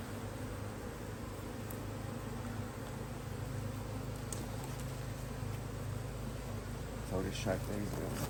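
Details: Honey bees in a Hive IQ beehive in Australia, mid-Autumn 2023, during fine weather with the colony working strongly, as the hive is opened to add another box; a steady, low droning hum fills the recording, with a few faint clicks near the end.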